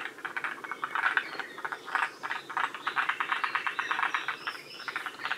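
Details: A chorus of wild forest green tree frogs at Shiriya, Aomori, one of Japan's northern-limit populations. Clipped, pulsed croaks come in quick rhythmic runs, several frogs overlapping into a rattling, clicking chatter that pulses about twice a second.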